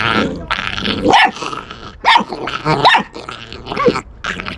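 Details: Puppy guarding its bone and refusing to let it be snatched, making threatening sounds without fear: rough, raspy growls in uneven bursts, broken by short whiny rising yelps.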